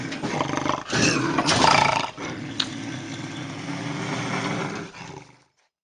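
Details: Bobcat growling and howling, sounds played to repel raccoons and rodents: a harsh, noisy roar that swells to a loud peak, breaks off briefly, then continues as a lower rasping rumble before fading out.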